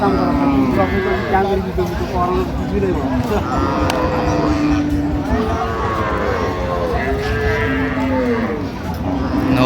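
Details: Cows and calves at Ambari haat cattle market, 29/9/25, give low, drawn-out lowing moos that overlap one another, set against steady crowd chatter and bargaining voices.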